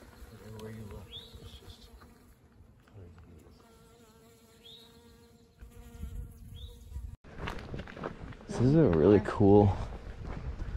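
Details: Many honey bees in the Smoky Mountains along the Appalachian Trail make a steady, low droning hum, with a person talking over it near the end.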